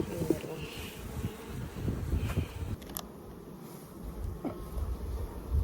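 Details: Honey bee swarm being caught by a beekeeper: a steady low droning hum of many bees, broken by knocks and rustles as frames are handled, with a brief voice.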